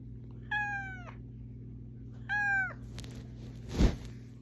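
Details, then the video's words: Waking its owner, a pet cat gives two drawn-out, slightly falling meows about two seconds apart, followed by rustling and a loud thump, with a low hum throughout. "Cat Alarm Clock"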